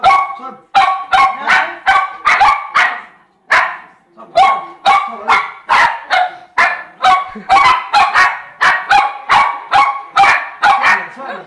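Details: Rapid, sustained barking from the poodle pair Jayme and Lendonn, larger female and smaller male, about two sharp yaps per second with brief pauses, loud and bright throughout.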